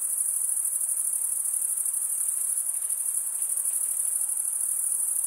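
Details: Continuous chirping of male crickets stridulating with their wings: a constant, very high, buzzy trill that never breaks, pulsing rapidly and evenly, over a quiet hiss of background noise.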